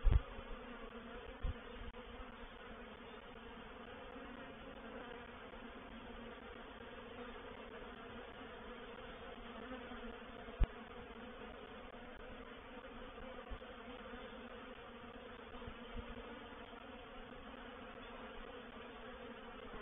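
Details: Honey bee reproductive swarm entering a swarm trap at Painted Peacock Manor on 04/07/21, a continuous even drone of many wingbeats with a few soft low knocks and one sharp click midway.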